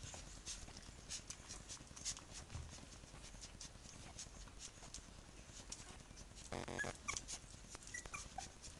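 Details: Three-week-old puppies of a B litter with their mother Bhoomi; a short, tonal, harmonic whimper rises near the end, after a long stretch of soft scratching, clicking and shuffling noises indoors.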